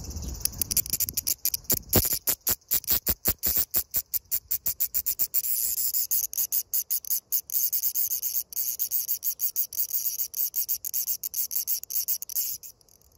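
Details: Large brown cicada, 5 August 2021: sharp buzzy pulses in a rapid train, spacing tightening until they nearly merge into a continuous sizzle, then a few last pulses before the sound cuts off abruptly.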